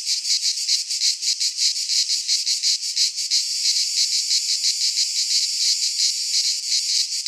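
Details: Cicadas singing in midsummer in a Greek pine forest: a high, dense, hissing buzz pulsing roughly three times a second, the pulses blurring into a steadier drone after the first few seconds, with no other sounds.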